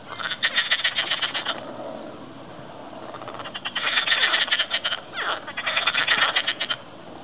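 A frog chorus of rapid, rattling pulsed calls in bursts, with many voices overlapping.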